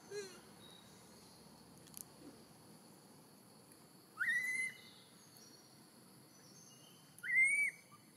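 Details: Hungry newborn macaque, a female infant near Siem Reap's temples, calls for milk after a long separation caused by Tarzanna. Two loud, clear whistled wails, each rising steeply then leveling off, come about three seconds apart over faint hiss.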